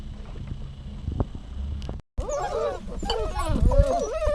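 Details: A dog whining after a short silence: wavering, high-pitched nasal cries that rise and fall in quick succession, following a stretch of low knocking and rumbling background noise.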